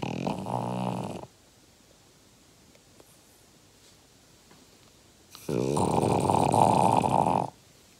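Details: Snoring from Uggy, a French Bulldog aged five, indoors: two loud rough breaths, one at the start and one after a four-second quiet pause, each a harsh buzzing rasp lasting one to two seconds.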